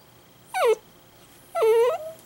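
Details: Indoor pet Italian greyhound suddenly crying loudly, giving two drawn-out whining cries, the first quickly falling, the second a longer level wail with a brief rise at the end.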